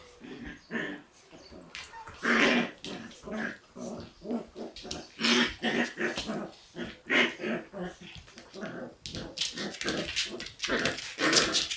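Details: Two Shiba Inu puppies born in March, a female and a male, wrestling in play: dense, continuous rough growls and snarling yips in rapid bursts throughout, with occasional louder squeals.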